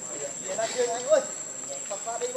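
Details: Monkey Rainbow, very angry while protecting Lucie from Kachoy: short tonal arched calls near mid pitch, a sharper rising-falling note in the middle, over a steady high whine and background chatter of other monkeys.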